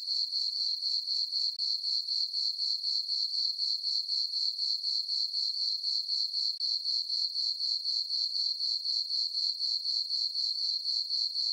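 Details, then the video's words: Crickets calling through a summer night on a farm meadow beneath a full moon, a thin high trill of even chirps, around four per second, uninterrupted and alone. "Cricket chirping sounds for sleeping - sleep and relaxation nature sounds at night"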